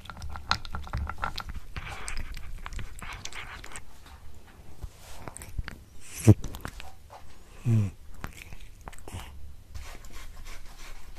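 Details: Domestic cat eating a tuna mini stick indoors: irregular crunchy bites and wet chewing clicks throughout, with two louder thumps past the midpoint and softer smacking between.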